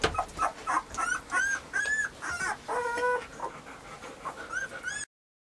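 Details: Several Weimaraner puppies, Bailey, Hailey and Jenny among them, whining in rapid high-pitched whimpers, short arched cries repeating about two or three times per second, some doubled notes, ending abruptly.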